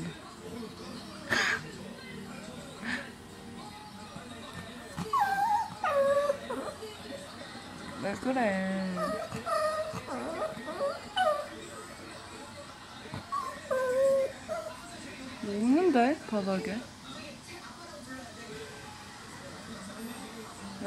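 High, sliding whimpers come from a Yorkshire Terrier in bursts, rising and falling in pitch as it pleads insistently with its owners for something. People's voices speak and question the dog throughout.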